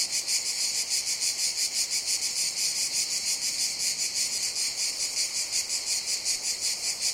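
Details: In a jungle during summer, cicadas keep up an intense high buzz with rhythmic swelling pulses about three per second, nothing else clearly heard.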